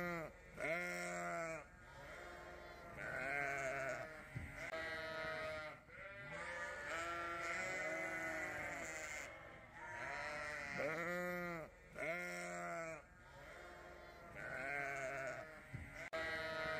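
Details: Hungry young Dorset ewe lamb, just awake from a sound sleep, seeks out her mother with a long series of quavering, nasal bleats, roughly one every two seconds, each rising then falling.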